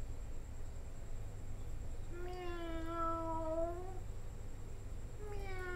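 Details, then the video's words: Cat giving a long, drawn-out meow of nearly two seconds with a steady, slightly wavering pitch that dips at the end, followed by the start of another meow; constant low hum and a faint high whine in the background. "cat call"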